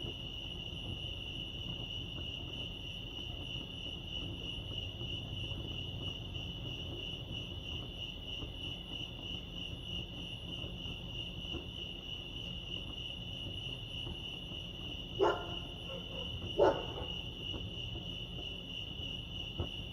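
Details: Lake Arrowhead crickets in California produce a constant high pulsing trill; two sharp louder knocks or bumps break in near the end over quiet low background noise.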